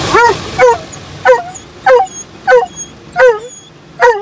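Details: Dobermann named Roman, usually calm toward outside stimuli, barking loudly inside a car during its first automatic car wash; sharp, rising-then-falling barks repeated about every half second, seven in a row, over a low machine rumble.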